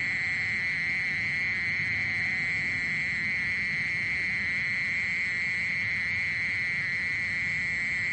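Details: Mole cricket churring nonstop: a level, high, buzzy trill with a thin overtone, steady throughout over a soft low rumble.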